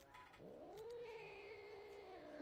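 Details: Domestic cat growling: a low start rises into a drawn-out moaning yowl that holds steady and then sags slightly, with a thin higher overtone running along it.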